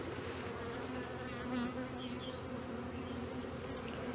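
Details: Honey bee colony humming in Brno, 2022, where an inserted queen cell was found chewed open after an earlier queen emerged; a continuous low drone carries faint, brief high chirps over it.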